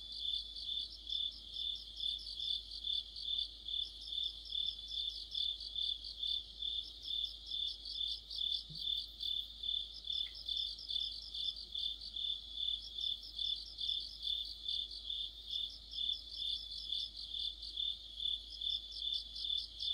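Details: Autumn insect orchestra led by crickets: an unbroken high whining band with rhythmic chirp bursts rising and falling about twice per second, one brief low thump midway.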